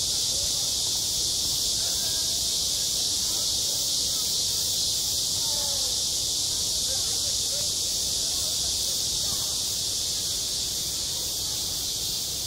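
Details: On a school playground in the height of summer, cicadas keep up a steady, piercing buzzing wall of sound, even in loudness, while faint distant voices drift beneath.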